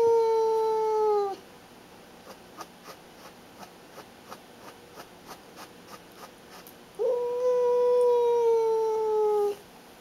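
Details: Female pet cat Baby guarding like a watchdog and showing who is boss, giving long sustained wailing yowls that slowly drop in pitch, one fading out at the start and another lasting over two seconds, with soft regular ticks between.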